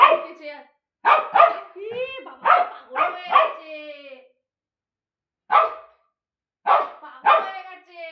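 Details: Bozo, a pet dog, barks in short sharp bursts, some with a whining, tonal edge, in two quick runs separated by a pause, with human voices mixed in indoors.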